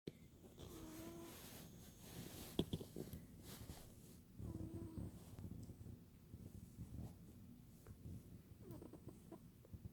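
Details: A cat snoring while asleep indoors, soft rasping breaths that rise and fall in a slow cycle about every four seconds.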